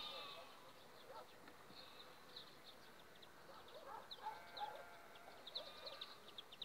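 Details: Honey bees from an overwintered colony on five frames, two weeks before acacia bloom: a steady low hum of many insects, overlaid by frequent high, short bird chirps and twitters.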